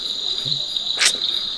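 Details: At Aritar, East Sikkim, about 4,600 ft, in the evening before rain at the onset of the monsoon, a small insect gives a steady, high, unbroken buzzing trill that carries on continuously.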